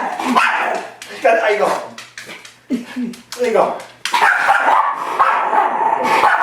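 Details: Pet Miniature Schnauzer Cadie confronting its reflection in a mirror, short yipping barks and growly bursts repeated irregularly, mixed with a person speaking Swedish and English nearby.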